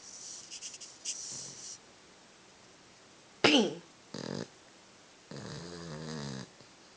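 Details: A male Boston Terrier asleep with his tongue out snores in rough, breathy bursts, with a squeaky snort and a person speaking at the end.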